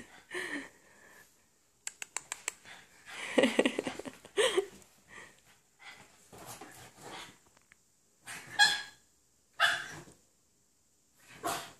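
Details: Excited male French Bulldog with a fawn chocolate mask, indoors: scattered short sharp barks and whines in bursts, separated by silences, while a person talks to the dog nearby.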